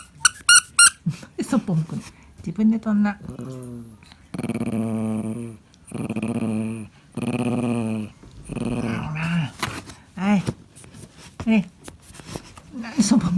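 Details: Quiet growling from Pon, a cream male Pomeranian aged 13, struggling alone for a toy indoors. A run of low, throaty rumbles, each lasting about a second and separated by short pauses, follows sharp squeaks at the start.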